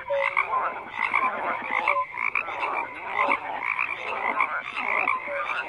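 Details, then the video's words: A dense frog chorus: many overlapping croaking calls in pulsed bursts about every second, with short tonal notes mixed in and a steady buzzing background of more callers. "FROGS CROAKING"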